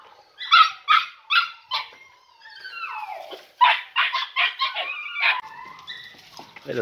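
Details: Podenco Andaluz pups, three and a half months old, in a training enclosure for their first time. A few sharp barks give way to sliding, whining cries, then a cluster of quick yelps and more drawn-out whines.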